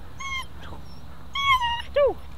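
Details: Ten-week-old female German Shepherd puppy during protection training, giving high thin whimpering whines: a short steady whine, then a longer drawn-out one and a brief downward-falling squeal, with a man praising her.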